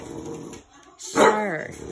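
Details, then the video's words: French Bulldog indoors barking at an oven while it is being cleaned; after a person's speech, one short tonal bark with a falling whine-like tail near the end. "Cute french bulldog (barking at oven)"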